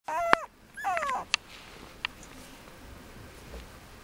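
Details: Male Mame Shiba puppy, dated 5 January 2013, giving two brief high whining cries with falling tones in quick succession, followed by a few soft clicks in a quiet indoor room.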